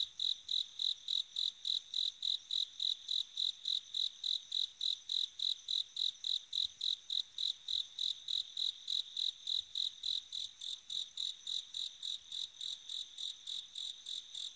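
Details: Autumn-night bell cricket giving clear, high, ringing chirps repeated about three or four times a second in a regular rhythm, loud at the start and slightly softer toward the end.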